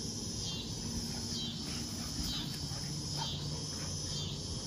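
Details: Background chorus of summer cicadas in a front yard during puppy play: steady shrill droning that pulses in slow waves about every second, with faint rustles and low noise beneath.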